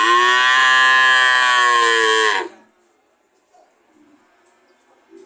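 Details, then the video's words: A cow gives one loud, sustained, harmonic moo lasting over two seconds, then near silence with faint soft sounds. "Sound of cow"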